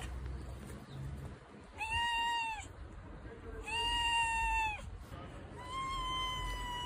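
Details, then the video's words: Pet cat meowing three times at intervals of about two seconds, each call clear and tonal with a slight arch in pitch, the last one softer and longer; quiet low hum between calls. "kedi sesi miyav"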